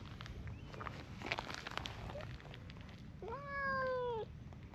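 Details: A brown tabby and a tortoiseshell cat keep a tense distance in a quarrel; after scattered soft clicks and rustling, a single loud, steady, slightly falling yowl lasts about a second before cutting off.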